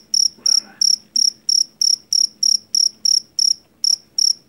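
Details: Jangkrik Jawa, the jeliteng cricket taken from rice paddies and valued for its shrill call against household rats: bright, evenly paced high chirps near three per second, a soft rustle early on.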